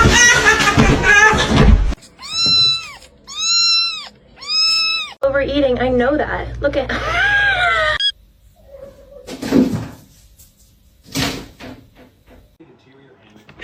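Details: Cat meowing three times in a row, each a high, clear, arched cry about half a second long, then a wavering squeaky call; talking and laughter come before and after.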